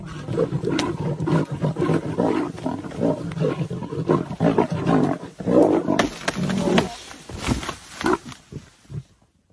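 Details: A lion stealing a leopard's prey: harsh, throaty growls and snarls in repeated bursts about every second, rising into louder roaring rasps, then breaking into short separate grunts near the end.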